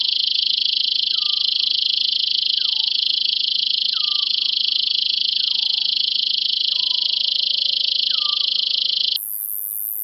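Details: Roesel's bush-cricket singing in Maising, Germany, on 8 July 2020: an unbroken, steady high-pitched buzzing drone that stops abruptly near the end, with a bird's short downslurred whistles repeating about every one and a half seconds behind it.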